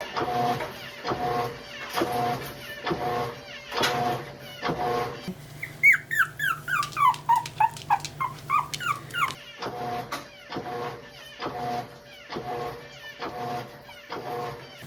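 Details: Pet poodle at home reacting to a strange noise from the washing machine: a quick run of high whines or yelps, each sliding downward, packed into about four seconds between stretches of rhythmic background music.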